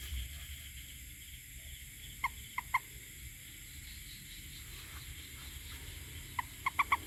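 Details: A toad giving short, clear tonal notes in two brief bursts of three to four quick notes each, separated by a few seconds of quiet, over a steady low hum.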